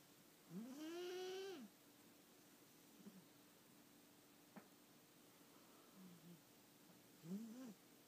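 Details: A sleeping house cat named Sergio gives a drawn-out, tonal, rising snore of about a second, then quiet breathing with faint clicks, and a shorter snore near the end.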